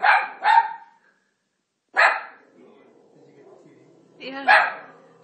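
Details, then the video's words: Pet Italian Greyhound reacting to Moses on TV while The Ten Commandments plays: a quick double bark, a pause, one harsh bark, then another bark after a longer gap. "Italian Greyhound Barking At Moses"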